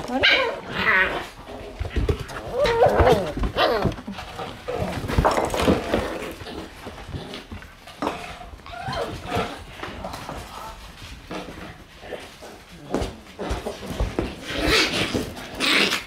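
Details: Shiba Inu puppies crowding around someone's feet as they enter the room, so close it is hard to walk; busy overlapping yips, whines and scuffling, with short barks and shuffling noise throughout.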